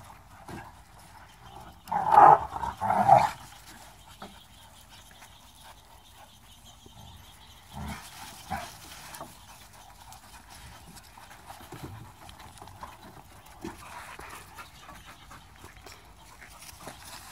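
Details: Pit bulls and bully dogs of Hydro Shock Kennels at play, along with a rescue pit bull/Chihuahua mix; two loud, harsh bark-like bursts early on, then scattered quieter growly sounds and scuffling.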